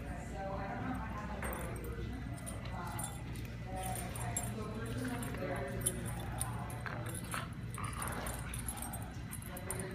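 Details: Dogs, one named Pierre, playing in an office; short whimpering and yipping vocalisations come in quick bursts over steady low background hum, with a person talking through much of it.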